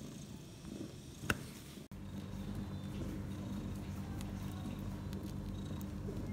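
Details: Six hours after delivering four kittens, three males and one female, mother cat Bella purrs. A knock is followed by a steady, even, low rumble from about two seconds on, with faint rustling.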